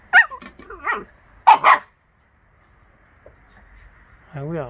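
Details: Russian Laika hunting dog giving a quick run of sharp barks and yips in the first two seconds, then a quiet pause and a drawn-out harmonic vocal at the end, with people talking close by.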